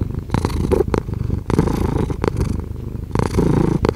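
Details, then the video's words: Domestic cat purring continuously, a low rumbling vibration with soft breathy pulses; louder bursts alternate with quieter phases, including brief dips near one and a half and three seconds. "5 Hours of Cat Purring"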